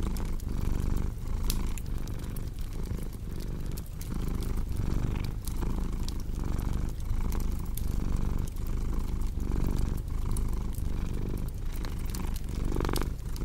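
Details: Relaxed cat purring beside an open fire, the deep rumble rising and falling in rhythmic breath pulses, while scattered crackles and popping embers punctuate the steady hum throughout.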